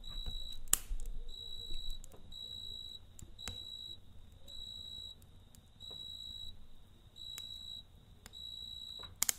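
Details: Campfire night scene with a cricket repeating clear high-pitched trilled chirps about once a second; soft fire crackles and low hum run beneath, with a few sharp pops.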